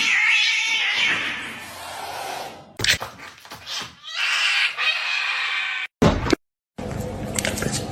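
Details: Domestic cat from a funny cat meme compilation, giving drawn-out, harsh, strained yowls that break into choppy edited bursts, with abrupt cuts and brief silences between segments.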